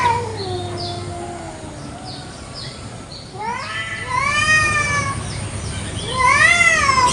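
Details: Village cats fighting over territory in a garden one morning: drawn-out yowls that waver at first, then swell into loud, rising and falling wails rich in overtones, several overlapping near the end.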